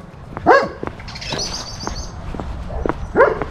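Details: German Shepherd Major barking in a village while looking for other dogs; two strong single barks about three seconds apart, with a faint high bird-like whistle and scattered clicks between them.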